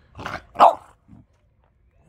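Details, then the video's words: Indoors, a French bulldog argues with its owner over coffee: a soft grumbling woof, then a louder, sharper throaty bark, a brief low grunt and silence, with a man starting to speak at the end. "French bulldog argues with dad over coffee"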